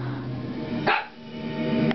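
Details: An Italian Greyhound, which barks at anything that moves, gives a single sharp bark over background television speech and music.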